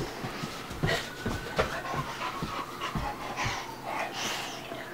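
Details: Bubba, a two-year-old American Bulldog, and Ruby, a five-month-old Dogue de Bordeaux, playing together: quick, breathy panting bursts in an uneven rhythm, with a faint steady tone in the background.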